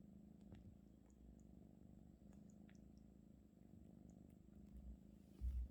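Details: Russian Blue cat named 마음이 (Maeum-i) kneading a blanket stolen from its owner; low, even purring rumble with faint ticking and rustling, a brief thump at the end.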